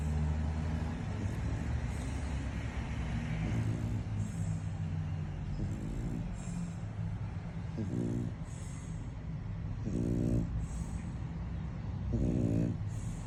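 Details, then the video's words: French Bulldog Lambo snoring loudly in sleep after tiring play, rhythmic raspy snorts about every two seconds, growing clearer toward the end above a constant deep droning background. "CUTE FRENCHIE DOGGY SNORING"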